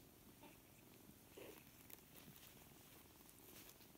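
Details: Four-week-old kittens, seven in a litter, at play with one another; quiet continuous low purring with brief light scuffling clicks and small rustles over the top.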